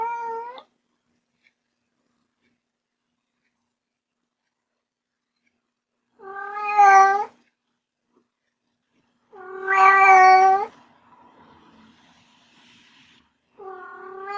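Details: Kitten meowing indoors: long, drawn-out meows at irregular intervals several seconds apart, each clear and tonal, with quiet gaps in between.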